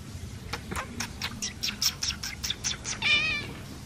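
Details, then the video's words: Jasper, a Persian cat, described as talking while ignoring its owner: a quick run of short, high chirps about four per second, ending in a wavering, drawn-out meow, over a low background hum. "jasper persian cat ignores me ..talking cat"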